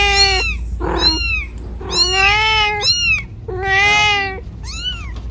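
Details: Cat looking for its kitten in the middle of the road gives a handful of meows: long sustained harmonic cries and a few short, sharply arched calls, one muffled, steady low rumble behind.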